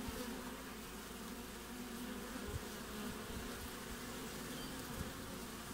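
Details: Hive entrance activity of honey bees in winter in Australia, 20 June; a dense, steady buzzing drone of many bees with small swells as individuals fly by.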